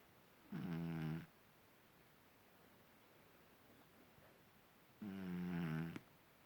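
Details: Marisabel, a house cat, snores while asleep; two rasping, low-pitched breaths roughly a second long, spaced about four and a half seconds apart, in a quiet room.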